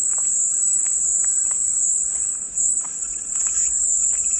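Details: A cicada drones on in a constant shrill whine, dipping briefly in loudness midway, while scattered short bird chirps and clicks sound quietly in the background. Calming white noise.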